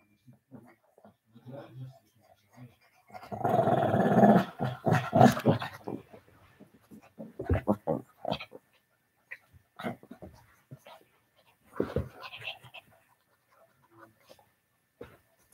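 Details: Senior Shih Tzu with a puppy during rough play, on a live cam indoors: a long rumbling growl swells for about three seconds, then breaks into choppy growls and yips, with a person speaking now and then.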